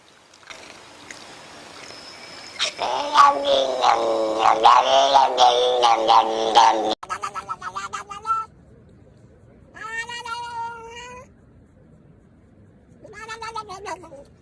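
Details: Domestic cat giving loud, drawn-out wavering yowls for several seconds, then a series of shorter harmonic meows separated by pauses.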